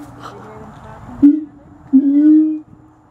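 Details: Siamangs at Gulf Breeze Zoo, with a baby nearby: a short loud tonal hoot, then a longer steady hooting note held for about half a second, over faint background murmur.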